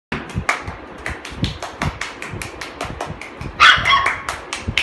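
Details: Golden Retriever puppies in Delhi yapping indoors: a rapid, dense run of short, sharp yips and barks overlapping one another, with one louder, drawn-out whining yelp near the end.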